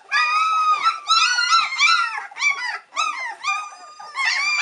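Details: Waiting impatiently for mother Cova to come back and feed them, three-week-old White Swiss Shepherd puppies give sustained, howl-like wails lasting up to a second, layered with shorter overlapping whimpers from littermates.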